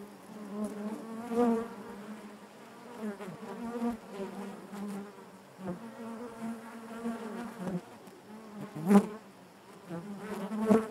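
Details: Steady communal buzzing of honey bees within the hive, a low humming drone that rises and falls in soft irregular swells, with several close, louder buzzes and small tapping clicks.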